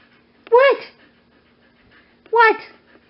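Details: Indoors, Wendy, a Siberian Husky up for adoption at Pet Harbor Rescue, utters two drawn-out, rising-then-falling whine-howls with rich harmonics, spaced nearly two seconds apart. A faint steady hum runs underneath.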